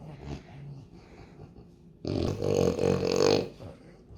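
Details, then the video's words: French Bulldog at home, snoring and snorting: quiet breathing at first, then a loud, raspy, rattling burst lasting about one and a half seconds, followed by a softer fading snort. "Cutest Funniest Snores"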